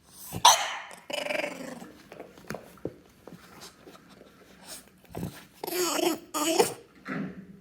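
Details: French Bulldog puppy making strange alien-like howls while craving McDonald's food, hoping to sway its owners: harsh, raspy, broken bursts of groaning and growling, with short snorts between them, indoors.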